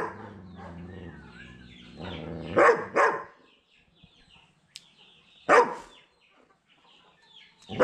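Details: A German Shepherd, likely trying to scare a person across from it, gives loud, deep single barks spaced a few seconds apart.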